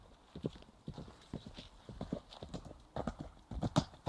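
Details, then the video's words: Ridden Irish Cob galloping along a forest road, captured by mobile phone; loud, close, rhythmic clusters of heavy hoof thuds in a rolling three-beat pattern, with some breathing and rustle. "A low flying Irish cob galloping on a forest road"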